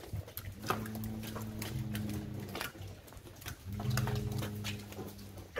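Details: Near-calving cattle in El Salvador, Gyr and Holstein crossed with Jersey, giving two drawn-out, steady moos about two seconds long, a pause between them, over soft tapping and farm background noise.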